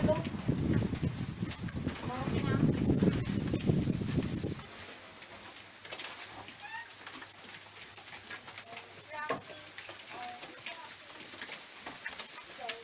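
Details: House crickets under rearing, a constant piercing high trill running the whole way through; a voice speaks during the first four seconds, then soft chirpy squeaks and clicks occur above the steady ringing.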